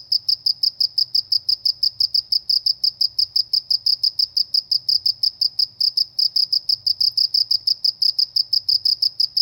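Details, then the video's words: Cricket chirping in the countryside, a loud high-pitched pulse repeated about three times per second, steady and unbroken throughout, with a faint low hum beneath. "suara jangkrik di pedesaan"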